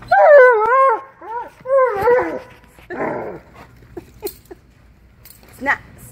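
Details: A male Alaskan Malamute, out shopping, gives wavering, yodel-like howls of impatient complaint, followed by brief human speech.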